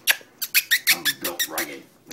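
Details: Terrier puppies from Toomevara Terriers at play with a child named Maeve; a quick series of about ten sharp, high squeaky yelps in just over two seconds, with faint indoor voices in the background.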